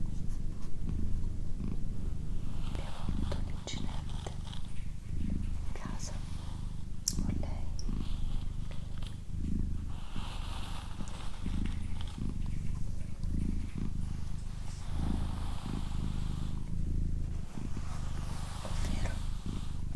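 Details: Extended purring by Doroti, a female domestic cat: a deep, steady rumble breaking into breath-paced swells roughly every second, with intermittent soft whispering and brief rustling throughout.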